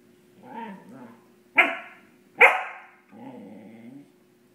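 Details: A Cardigan Welsh Corgi in a very playful mood, chasing his tail at night, gives low, rumbling growls around two sharp, loud barks.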